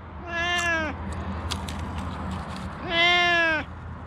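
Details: Rescued cats: two loud harmonic meows, the first falling and the second rising then level, separated by a quieter gap with a few faint clicks and a low background hum.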